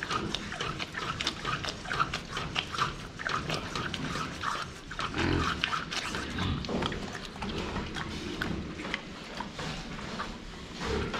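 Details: Pigs at the water drinker: repeated short grunts and snorts over a steady stream of clicking, sucking and splashing sounds as they drink.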